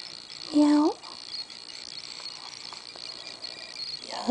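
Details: Smudge, a pet female cat who demands attention and scratches, gives one short meow lasting under half a second. Its pitch holds steady and then bends upward. The room is quiet apart from a faint steady hum.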